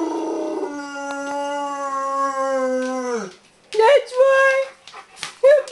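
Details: Bernese Mountain Dog howling over the mail lady: one long steady low wail held about three seconds then sagging, followed by short higher yelping howls.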